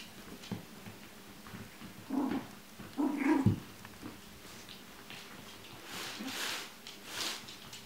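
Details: Chinese Crested puppies indoors, two short harmonic whines or yelps near the middle, the second louder and ending abruptly, amid soft rustling and handling noise in a small room.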